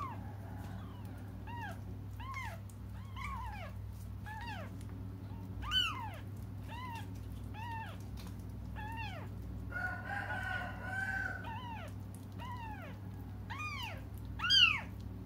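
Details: Crying kittens awaiting their mother's return: steady series of curved, high-pitched mews about every second, overlapping calls and a rougher, noisier cry near ten seconds, one loud meow near the end.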